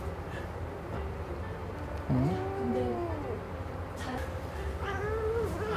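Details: Suri, a pet cat, grumbling indoors when held in an uncomfortable position during claw clipping; short rising and falling whiny vocalizations midway and near the end, with a woman talking and soft background music.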